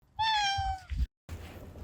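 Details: A stray cat coming back home to eat gives one clear, steady, slightly falling meow lasting about half a second, followed by soft low rustling.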